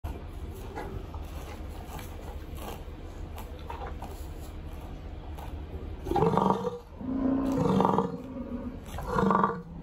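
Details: An American bison at Grand Teton/Yellowstone gives deep, guttural roaring bellows in quick succession on a morning during the rut.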